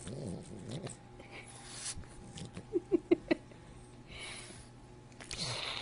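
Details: French Bulldog making strange sounds indoors: a low, wavering grumble with stacked harmonics at the start, then four short, sharp yelps about a fifth of a second apart near the middle, and a hissy snort at the end.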